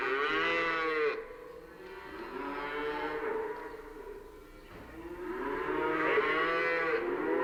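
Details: Cows in a pasture moo in long, drawn-out bellows that rise and fall, one after another.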